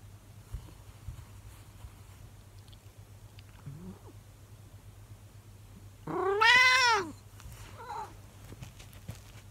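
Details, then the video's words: A 24-year-old calico cat, talking to its owner indoors, makes a faint short chirp, then one loud arched howl under a second long, followed by a quieter trailing meow. "The Long Howl - longest cat howl yet - Monkey the 24 year old Calico cat"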